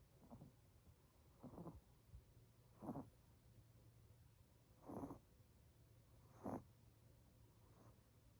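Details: An 18-week-old Chihuahua puppy snoring loudly in its sleep: soft breathy rasps repeating roughly every one and a half to two seconds, over a steady low hum in the room.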